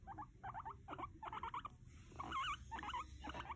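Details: Pet male guinea pig indoors, squeaking in a rapid run of short, high, wavering chirps, grouped in quick bursts about every half second, some notes bending up and down, with faint room hum.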